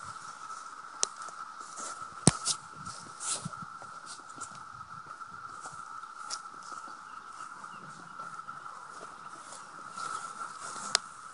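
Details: Swarms of 17-year cicadas on plants and a sumac tree near a home outside Madison; a steady, level buzz carries through, quieter, with scattered sharp clicks and taps from handling.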